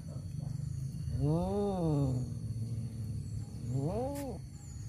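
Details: Male domestic cats fighting over a female: two drawn-out, wavering yowls, each rising then falling in pitch, the second shorter and ending in a sharp upward sweep, over a steady low engine-like rumble.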